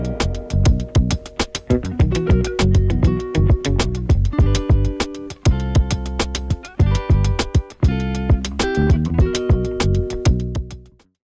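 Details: Fast strummed guitar music with a heavy bass line and steady beat throughout, fading out at the end, with no animal sounds.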